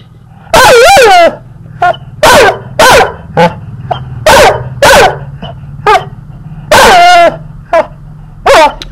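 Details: A teased male puppy barks repeatedly in bright, high-pitched yaps, some in quick pairs and some with a whiny edge. A steady low hum runs underneath.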